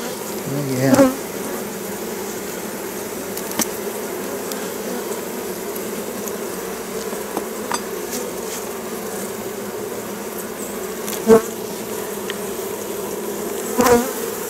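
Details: A colony of honey bees in a top bar hive opened for the first time in 14 years, during transfer, gives a steady, low hum of many bees buzzing together, broken by a few sharp knocks.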